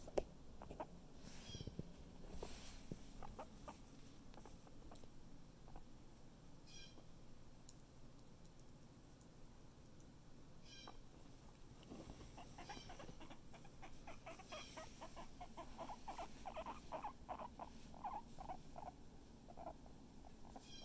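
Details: Guinea pig Chip, recovering and feeling much better, makes scattered soft clucks, then a denser run of quick repeated clucking pulses toward the end, with low steady room hum underneath.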